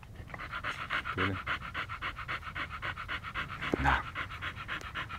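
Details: Siberian Husky in Pleven, Bulgaria, staying in one place, panting steadily: quick rhythmic breaths at about three to four per second, with a few brief low background sounds.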